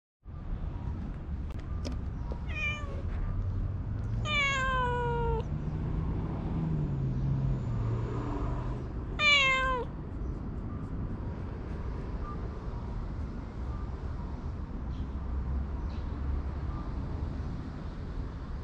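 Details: Ragdoll or Siamese house cat giving three clear meows, each a harmonic call falling in pitch, spaced several seconds apart, over steady low rumbling background noise.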